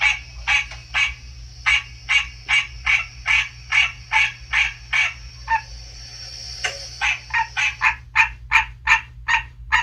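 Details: American green tree frog, a captive male only recently sexually mature, calling indoors in early spring in a reptile room as a recorded call of its species is played. Rapid nasal honking notes, about two to three per second, pause briefly midway, then resume over a steady low hum.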